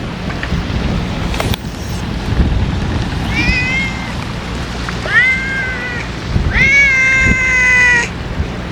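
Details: Ear-tipped stray cats being fed outdoors on a day of strong wind; three drawn-out harmonic meows, rising then level or slightly falling, near 3.3, 5.1 and 6.6–8 seconds, over steady low wind rumble and a sharp knock.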